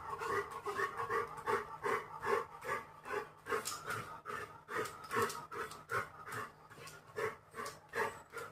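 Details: Busy Labrador Retriever puppy digging at the ground, panting steadily in quick rhythmic breaths of about two and a half per second, each a soft huffing pulse, with faint rustling and a low constant hum underneath.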